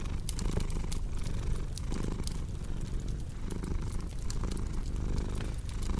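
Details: Domestic cat purring beside a cozy crackling fireplace, mixed for relaxation and sleep; a low steady rumble pulsing in cycles of under a second, with sharp scattered fire crackles and pops over the top.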